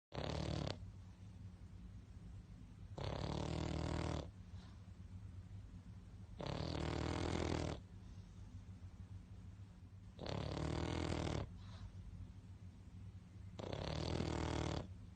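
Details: Sleeping pug snoring loudly: harsh, rasping breaths roughly every three to four seconds, each lasting about a second, with a low steady hum between them.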